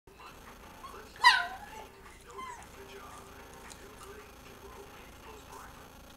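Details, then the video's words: Pet dog indoors in a dark room lit only by a television, wanting the bone another dog was chewing; a single sharp, high, harmonic squeal near the start, then quiet room hum with faint fainter noises. "My dog Gizmo making weird noises"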